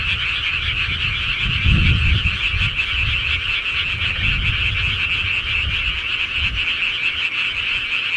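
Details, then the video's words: Countryside frogs chorusing at night: a thick, even wall of rapid rattling croaks from many callers, with a low rumbling disturbance through the first half. "시골개구리 소리"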